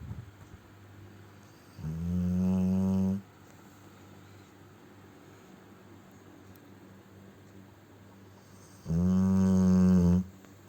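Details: Cane Corso named Ponchik asleep and snoring heavily: two long, droning, low tonal snores roughly seven seconds apart, each lasting over a second, with quiet breathing between in a small room.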